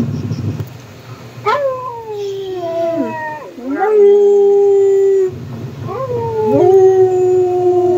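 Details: A dog howls with another dog in three long mournful phrases. Each starts with a sharp upward yelp, then slides down into a sustained level tone, with short gaps and a low rumble underneath.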